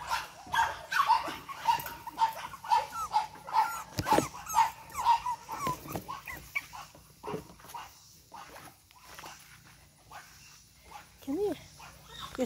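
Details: Boston Terrier puppies, Charm's 8-week-old litter, energetic; a run of short high whines repeated roughly every half second during the first five seconds, then scattered yips, rustling and a sharp thump.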